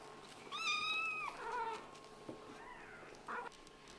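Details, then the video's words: Scottish Fold and British Shorthair kitten meowing indoors: one strong, level, drawn-out meow, followed by softer, shorter mews and a small knock. "This kitten is probably the one who meows the most with such a cute face!?"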